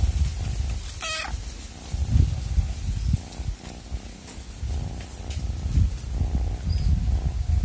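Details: Cat giving a loud, deep purr that swells and fades in pulses, with a brief high chirp-like squeak near the start.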